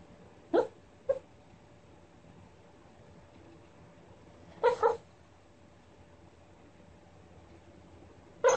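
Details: Rat Terrier dreaming in its sleep, giving short muffled yips and whimpers in scattered bursts: two quick ones close together, then a double yip after a long pause, and another near the end, with a faint steady hum behind.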